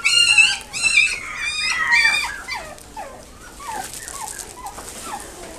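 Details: Long-haired Chihuahua at a pet shop in Nagoya, Japan: four high, harmonic-rich yelps in about two seconds, then a run of softer, short squeaky whimpers that fade toward the end.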